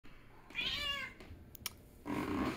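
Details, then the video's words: Female pet cat indoors in Minnesota screaming for attention, needier as the weather turns cold; one long, harmonic, wavering meow, then a brief click and a lower, nasal second call. "Kitty Mint screams for attention"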